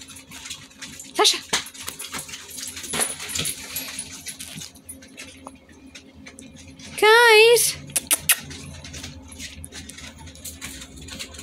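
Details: Italian Greyhound Zip, a first-time father, playing indoors with his puppies; one loud wavering, quivering high whine lasting under a second midway, surrounded by human speech and scattered knocks and handling sounds in a small room.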